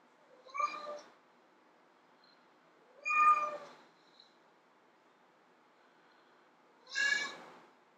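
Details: Female house cat meowing to lure tomcats: three clear meows about three to four seconds apart, the last higher and more strained, with faint background hiss.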